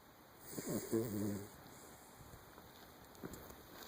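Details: Lucy, a 10-year-old miniature Dachshund, snores in her sleep: one low, buzzy, rasping snore with stacked harmonics lasts about a second. Quiet room hiss and a few faint clicks follow.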